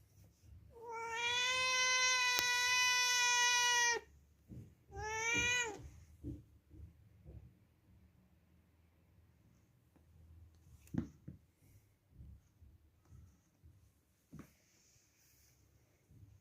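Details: Cat indoors lets out a long, steady, high meow of about three seconds. A shorter meow with a falling end follows, then soft clicks and rustles in a quiet room.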